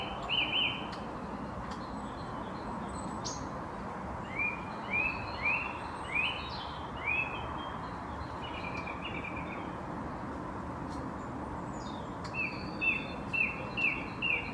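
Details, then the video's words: Squirrel with hiccups after freaking out at a person: short, sharp upswept chirps come in small clusters of two to four, repeating at intervals through the clip, with faint bird calls and steady outdoor background noise. "Squirrel gets hiccups from freaking out on me"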